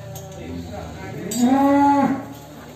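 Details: Agitated jumbo cow bellowing as it is led out of its pen, one long low moo with rising then steady tone lasting about a second, with faint background noise and a brief clatter.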